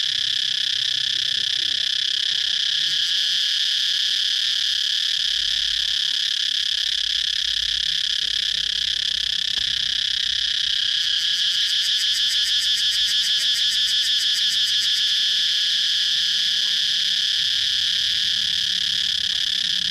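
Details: Cicada song: a loud, unbroken shrill buzz with a steady high tone throughout, turning into a rapid rhythmic pulsing for a few seconds near the middle, over faint low rumble.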